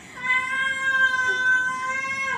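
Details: Domestic cat in Dubai producing a loud, sustained, level meow lasting over two seconds, rich and tonal, falling slightly at the very end.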